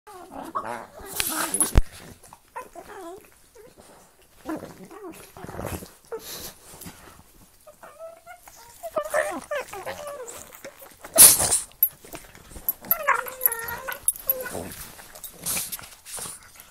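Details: A Pug and a Boston Terrier play-fighting with their mouths: scattered snorts, grumbling growls and squeaky whines trading back and forth, with bursts of scuffling and a person speaking.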